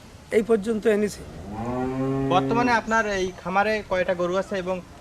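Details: Cattle on a dairy farm in Bangladesh lowing: several short mooing bursts, then a long, deep drawn-out moo, followed by more short moos.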